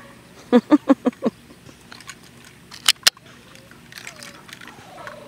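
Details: Seven-week-old Labrador Retriever puppies from the Jetta x Tate litter give a quick run of five short, harsh yips, followed by two sharp knocks and a thin, drawn-out whine near the end, over a quiet background.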